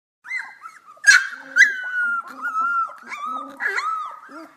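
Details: A litter of young Golden Retriever puppies just learning to howl: several high, thin, wavering howls overlap, sliding up and down and breaking into short yelps, drawn out across the clip.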